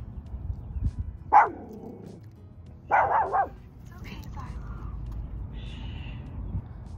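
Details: Pet dog indoors, barking while its owner reassures it: two loud barks, one single and one triple burst, followed by a softer whine and a high whimper, with human speech nearby.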